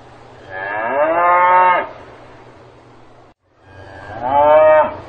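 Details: Cow mooing on a farm: two long, low, drawn-out moos, each lasting over a second, separated by a short quiet gap, both rich and steady, with a faint low hum underneath.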